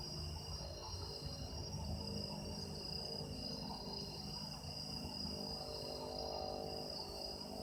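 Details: Autumn insects recorded for use as a sound effect: a dense, continuous high-pitched ringing drone in several steady layered bands, unbroken throughout, with a soft low rumble underneath.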